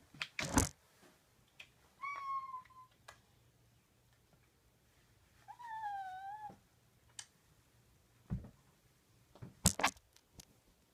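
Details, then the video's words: Nico the cat making strange sounds indoors: two drawn-out, tonal meows, the second dipping then rising, between sharp knocks and thumps. "Nico makes strange kitty sounds"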